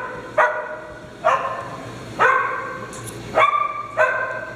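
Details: Dogs at playtime on a farm: five sharp, bright barks with ringing harmonic overtones, spaced roughly one second apart, over a faint steady background hum.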